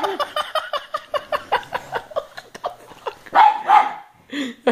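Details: Pug named Kassie indoors, barking and growling at the floor where nothing is there, a rapid run of sharp barks about three per second, then a drawn-out growling whine, with people talking afterwards.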